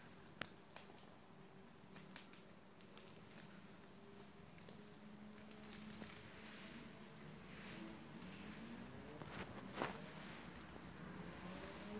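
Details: Soft rustling, light taps and a low indoor hum, with no animal voice.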